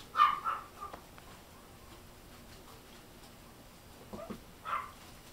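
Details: A baby silver toy poodle, fluffy and wobbly as it walks, makes a quick pair of sharp yips, then a long quiet pause, then a few softer yelps near the end.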